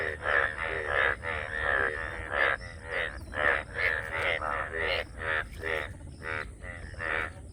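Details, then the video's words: Several frogs croaking in a steady run of nasal, buzzy pulses, each under half a second and spaced closely, forming a continuous rhythmic chorus above a low constant hum. "ব্যাঙ্গ ডাকার সময় এমন অবস্থা হয় আগে কখনও চোখে পরেনাই । Frogs Sound"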